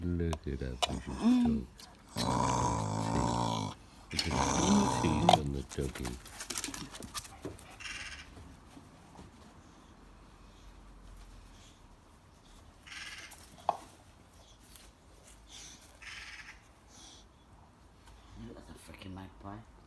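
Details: A bulldog makes loud snorting, grumbling vocal bursts to ask for his Kong toy, with a person talking.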